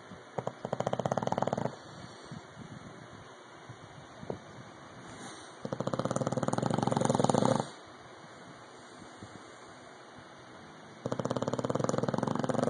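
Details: Loud snoring from Rocky, the English bulldog: three bursts of coarse, vibrating rattle, each one to two seconds long, separated by quieter stretches with soft breathing noise.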